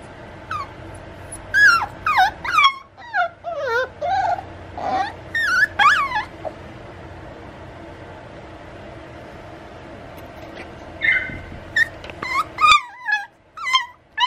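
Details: Male puppy whimpering in quick, thin, squeaky yelps that rise and fall sharply, a busy run at the start, a long quiet stretch in the middle, then another flurry of whines.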